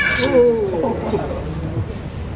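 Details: Giant panda Yuihin at Adventure World comes right up to the glass, begging. A short nasal bleat slides downward in pitch, then trails off into soft murmurs while visitors talk close by.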